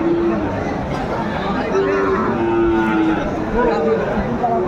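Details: Sahiwal bull calves at a Pabna cattle market on 30 June 2024 give short, low, drawn-out moos that rise and fall slightly, about three in under five seconds, beneath steady crowd chatter and nearby bargaining voices.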